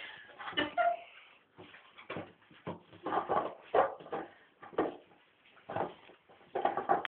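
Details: Staffordshire Bull Terrier puppy, a female named Reiki, stalking and attacking an empty pop bottle indoors; short whiny whimpers and yips in irregular bursts, mixed with rustling and thumps of play.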